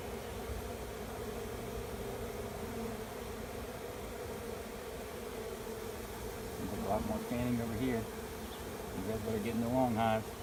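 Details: Swarm of honey bees moving into an empty hive at the end of a driveway: a steady, low, droning hum holds throughout, with a brief human voice and a rise in loudness near the end.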